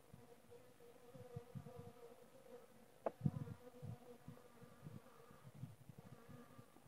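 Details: Low, continuous buzzing of honey bees with frequent short flutters of nearby wingbeats and a brief sharp click around three seconds.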